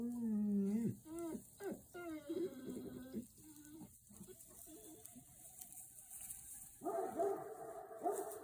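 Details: Caucasian Shepherd dog in Montana chasing off big critters: a run of deep, harmonic barks and yelps in the first three seconds, a steadier drawn-out tone, then a loud bark burst near the end, over a faint high hiss.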